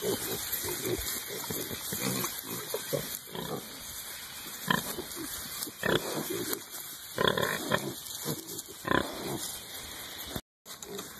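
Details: Hereford piglets in early spring, rooting in the dirt and nosing at a person's pants, give frequent short grunts and snorts in uneven bursts, with a man speaking among them and a brief break near the end.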